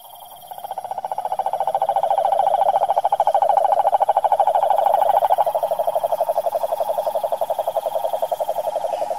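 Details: Cane toad calling in the wild in Brazil's Pantanal backcountry: a long, continuous buzzing trill of fast regular pulses at mid pitch, swelling and easing slightly in loudness throughout.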